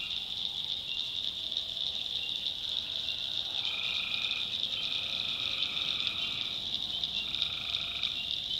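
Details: Tree frogs in a nighttime swamp in North Carolina's backwoods. A continuous shrill chorus is heard throughout, and from the middle onward lower buzzing trills join in, one stretching for about three seconds.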